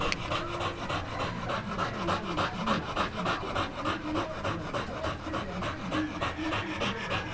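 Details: Rapid rhythmic panting from an American Pit Bull Terrier, about three breathy puffs each second, loud and regular throughout, with faint speech in the background.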